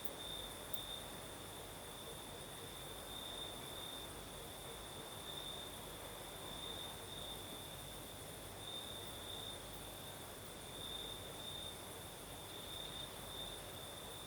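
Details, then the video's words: Crickets singing at night in the south of Crimea, with a night breeze: a steady high continuous trill, slightly pulsing in intensity, persists throughout over a soft broadband hiss of wind. "Сверчки поют"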